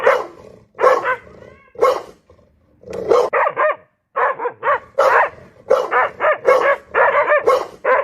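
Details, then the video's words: Loud barking from a dog: a few spaced barks, a short lull, then a quickening string of strong, harmonic barks that runs almost unbroken toward the end. "DOG BARKING LOUDLY"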